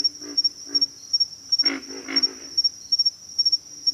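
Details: Pig frogs giving short, low, rough grunts, a few spaced blips followed by a louder doubled pair of grunts, over a steady high, thin insect whine with rapid ticking pulses.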